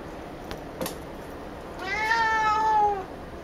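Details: Female house cat Picchi, excited at the sight of a ball made from her own brushed-out hair, gives one drawn-out, slightly falling meow lasting about a second, after a couple of soft taps indoors.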